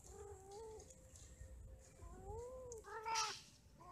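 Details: Cats mating and quarrelling: a moaning, wavering yowl, then a rising-falling drawn-out wail and a short sharper cry near three seconds, over a low background hum.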